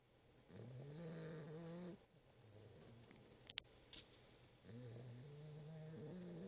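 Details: A sleeping boxer puppy snoring: two long, low, droning breaths, each lasting over a second and slightly rising, separated by a quieter pause with a soft click, recorded close on a phone.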